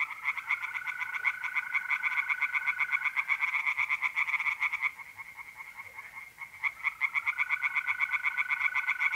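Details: Night chorus of tree frogs in a north-east Italian pond in mid April: rapid rhythmic croaking that stops briefly mid-clip then resumes, with the steady trill of mole crickets alongside.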